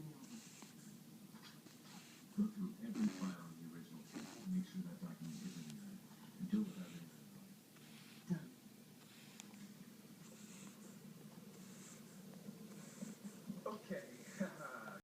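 A Shih Tzu snores with low, rough, rattling breaths that come in short irregular bursts.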